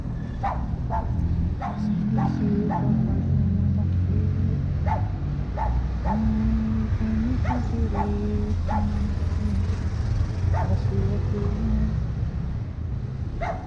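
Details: Chow chow named Capacete, out on a walk to relieve itself; short, sharp barks repeat irregularly about once a second over a steady low rumble of passing traffic.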